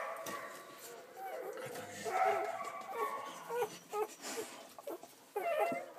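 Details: Newborn Belgian Malinois puppies, about ten hours old, born during the night of 1 December 2012 in a litter of six males and three females, nursing together; thin high squeaks and short whimpers come in bursts, with soft human speech underneath.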